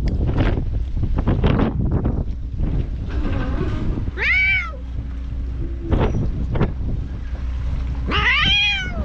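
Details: Feral cats on a cat island, recorded with a GoPro HERO8: two drawn-out, harmonic-rich meows that rise then fall, several seconds apart, following rustling and handling noise with wind rumble beneath.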